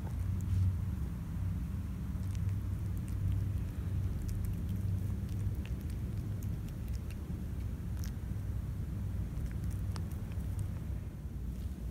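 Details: Steady low rumble with faint scattered clicks and pattering, no clear animal call heard.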